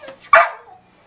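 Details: Sadie, an eight-year-old brown Border Collie mix in the Bahamas, barking on command: one short, sharp bark that fades quickly into a quiet room.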